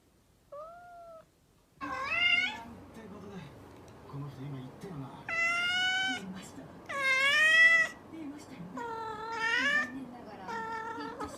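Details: Mischievous domestic cat meowing: a soft short mew, then five loud, drawn-out harmonic meows, some rising and some falling, spaced one to two seconds apart in a quiet indoor room.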